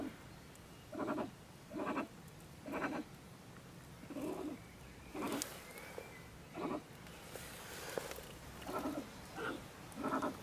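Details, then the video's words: Agitated female stone marten, also called beech marten, raving from her woodpile home next to a shed in Germany around 10 pm: about ten harsh, raspy, bleat-like cries, roughly one per second. "Our Ranting Neighbour Mrs. Stone Marten - Frau Steinmarder flippt aus"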